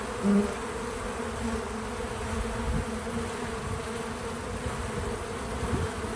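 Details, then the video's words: Bees at work around a feeder give an even, droning buzz, low and continuous, with a short louder pass at the start and soft rumbles underneath; no music or voices. "Bees in Slow Motion at the Feeder 🐝 | Natural Buzzing Sounds"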